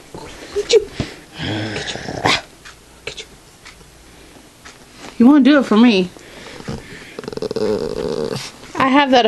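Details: Pet dog Ambrose being teased in play indoors, owner says he knew it was a game; a few short whiny growls and yips break through between stretches of talking and laughter.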